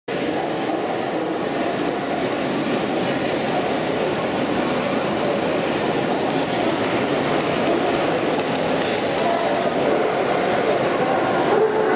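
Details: Dense, steady broadband din like a crowded hall or a passing train fills the whole stretch, with faint voices mixed in and no clear animal call.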